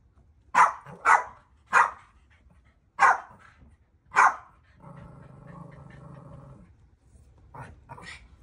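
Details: Dogs react to fire seen for the first time with five loud, rapid barks in the first four seconds, then a sustained low growl, followed by a few fainter barks at the end.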